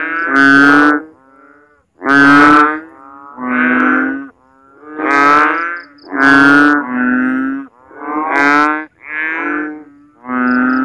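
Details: Frog calling loudly in a backyard in the Philippines at night during rainy season, after heavy rain leaves water standing in swales and ditches; deep, nasal, mooing calls about a second long, repeated steadily, pitch shifting between calls, with faint high insect pulses behind.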